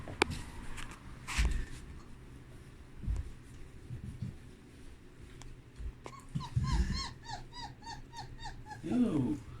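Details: Puppies exploring their whelping box after its blankets were changed, indoors; a quick run of about eight short, high, arched whimpers over two and a half seconds, after scattered thumps and rustling, ending in a lower whine.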